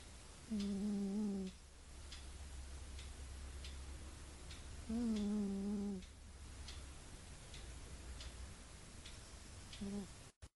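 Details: Domestic cat asleep and dreaming makes soft, wavering hums about one second long, two of them five seconds apart and a short third near the end, over a low steady rumble.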